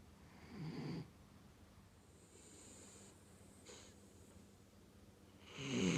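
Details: Snoring from a sleeping rescue dog named Chibi: a rough, low snore near the start, a quieter breathy hiss in the middle, then another loud rasping inhalation building at the end.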